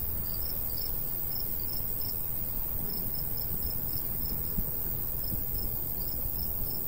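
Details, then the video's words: Summer crickets in countryside by a golden wheat field, a light breeze blowing. Thin high-pitched chirps come in short runs broken by brief pauses, over a low, steady wind rush. "Countryside/cricket sounds"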